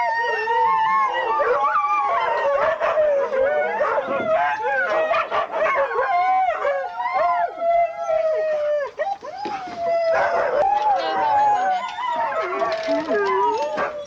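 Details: Group of huskies at a November 2001 race weekend, Forest of Dean, England, recorded on VHS: sustained chorus of long wavering howls and sharp yips from many dogs, with a brief lull near the middle.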